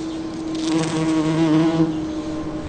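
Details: Bumblebee foraging on a Champlain rose in a Toronto, Ontario back yard in early June; a loud, steady low droning buzz with clear harmonic bands, swelling in the middle and easing toward the end.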